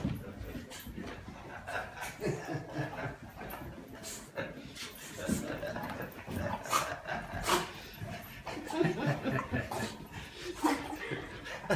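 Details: French Bulldog reacting to its owner's return after a long time apart; rapid bursts of snorting, whimpering and huffing sounds, with a woman speaking Portuguese in the background.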